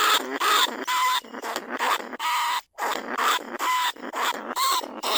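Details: Trapped lesser bandicoot rat recorded at Na Lao, Nong Khu Phai to lure others from their holes; loud, grating squeaks with thin whistled overtones repeat in fast uneven bursts, broken by one brief silence.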